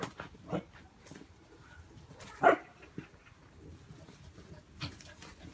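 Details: A Welsh Corgi in a snake-hunting simulation with a bullwhip gives a single sharp bark amid a few scattered short knocks and cracks.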